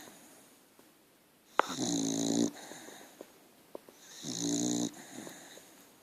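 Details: Sleeping dog named Archie snores indoors, giving two drawn-out, rattling inhalation snores about two and a half seconds apart, each roughly a second long, with soft breaths and faint clicks between them.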